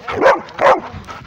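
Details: Female Rhodesian Ridgeback barking while chasing, right next to another dog: two loud, sharp barks about half a second apart, then softer whimpering yips trailing off.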